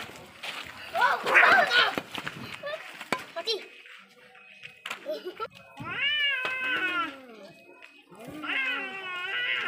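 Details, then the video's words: Angry fighting cats: harsh, noisy scuffling cries at first, then a lull, then drawn-out harmonic wails that bend up and down in repeated arching yowls. "Deadly fight between cat🐈 angry cat😾"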